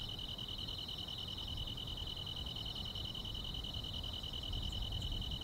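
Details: Summer-night grass insects keep up a continuous shrill buzzing trill, two close high tones droning without pause, over a faint low background hum.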